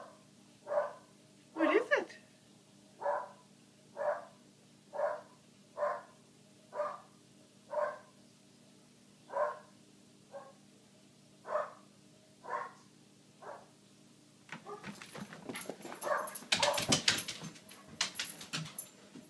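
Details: Foxhound and springer spaniel mix dog barking at a couch: about twelve sharp, evenly spaced barks roughly once a second, then five seconds of loud rustling and handling noise.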